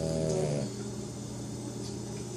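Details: A Pekingese dog snores after a long day at the groomer, with a low, rough, rattling rasp that runs on steadily. A brief tonal sound opens the clip, and people talk faintly behind it.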